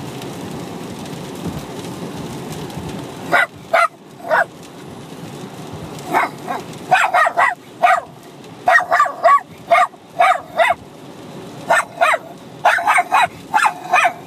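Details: Bichon Frise puppy, six months old, and an adult Bichon Frise dog barking at each other while fighting and playing; sharp yappy barks come in quick clusters after a quieter start, with low rumbling growls between bursts.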